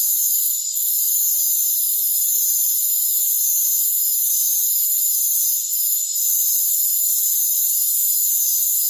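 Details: Continuous shrill trilling of rainforest crickets fills the high range, briefly dipping near the start and twice around six seconds, with nothing audible at lower pitches.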